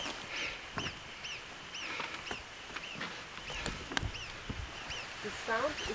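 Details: An unseen Alpine marmot in Poland's protected Tatra Mountains gives short, sharp arched whistles in a repeated alarm series, perhaps responding to hikers approaching over rough terrain, with a man's voice speaking.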